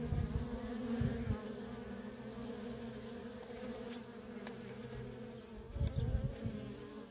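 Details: Busy worker honey bees at a feral colony, nonstop traffic making a dense droning buzz, with louder close passes at the start and again near the end.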